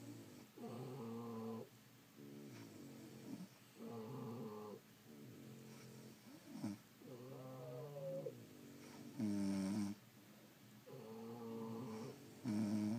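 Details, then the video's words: French Bulldogs asleep indoors, snoring steadily: harmonic, nasal rasping breaths about eighteen times a minute, each lasting a second or more, some rising in pitch, alternating inhale and exhale in a quiet room. "Snoring French Bulldogs"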